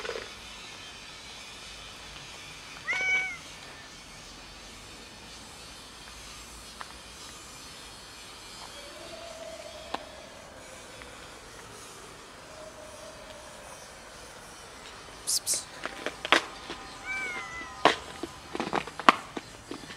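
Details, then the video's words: Hungry cats asking for food: a short, clear rising-falling meow early on, a long quiet stretch, then a few more brief meows among clattering and knocking near the end. "Feed us, please... Cats tell me"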